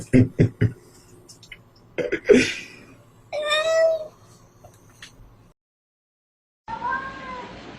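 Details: Domestic cat in a talking-cats compilation. A wavering, drawn-out meow lasts under a second, then a pause of silence, then a rising meow at the end. Clicking thumps and a short noisy burst come first.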